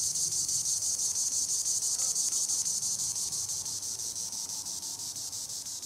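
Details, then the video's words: High in the treetops, a green annual cicada (Tibicen linnei) keeps up a shrill, pulsing buzz, about three beats a second, growing a little softer toward the end. "Green Annual Cicada tibicen linnei (Cicadidae) sounds recording in the treetops"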